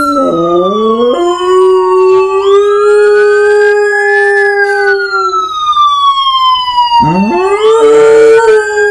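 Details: Pet dog howling in response to a passing siren, long rising then level wails that swell upward again near the end, while the siren's loud sweeping tones glide up and down above it.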